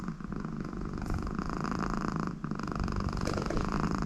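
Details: American Shorthair cat named Conny, very content with her owner beside her, purring steadily indoors: a low continuous rumbling throb with soft, regular breathing pulses, no other sounds.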